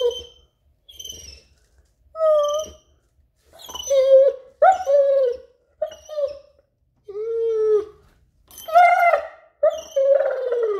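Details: German Shepherd dog, male pet, singing on command at the garden door before a play session: short high yelps that build into longer, wavering, downward-bending howled notes, repeated in bursts with brief pauses.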